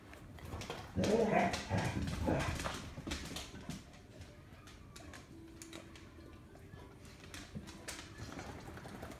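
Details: A Basset Hound, female, barks loudly with deep, drawn-out barks in excited play up and down the halls with another dog, followed by a person's voice.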